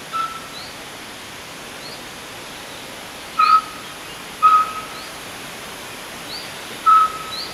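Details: Roe deer fawn separated from its mother, which lingers nearby, gives four sharp whistled peeps at irregular intervals of one to three seconds, while faint high bird chirps sound between them.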